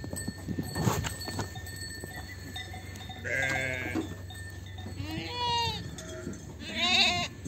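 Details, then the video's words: Lambs and ewes on a sheep farm while the lambs are parted from the ewes: three distinct bleats, a nasal wavering cry, a higher trembling one, then a loud sharp call at the end, over a low background hum. "KOYUN KUZU AYIRMA ~ KOYUN ÇİFTLİĞİ ( Koyun kuzu videoları, koyun yetiştiriciliği, kuzu sesi küçükbaş"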